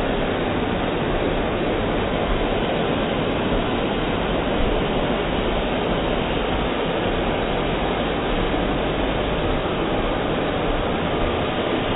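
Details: Constant loud roaring noise, like a passing train or engine, runs unbroken throughout with no animal calls.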